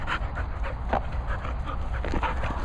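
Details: Cocker Spaniel panting during training: quick, breathy bursts repeated several times a second, steady throughout, over a constant low rumble, with a person calling to the dogs nearby.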